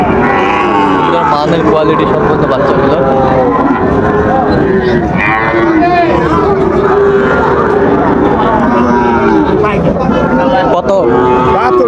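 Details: Sahiwal bull calves at Raniganj cattle market, Dinajpur, on 15 August 2024; overlapping low moos with rising and falling harmonics fill a dense crowd din, while traders bargain over prices in Bengali throughout.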